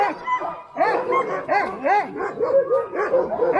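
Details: Excited Alaskan Husky sled dogs eager to run at a dog sledding kennel in Willow, Alaska; a pack chorus of arching, looping yips and whines, repeated irregularly and overlapping, with a person speaking softly.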